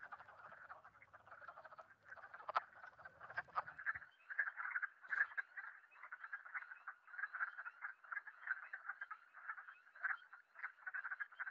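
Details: Wood frogs chorus with rapid, clucking croaks like soft duck quacks, a call heard in the natural areas of the Mont-Saint-Hilaire territory during spring breeding from late March.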